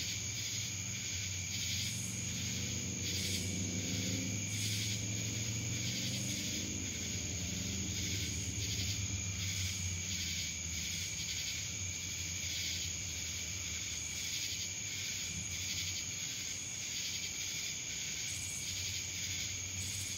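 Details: Cicadas in Dallas, Georgia: a dense, steady high-pitched insect drone with a rhythmic pulsing shimmer above it, repeating about twice a second, over a low rumble that fades after the first few seconds.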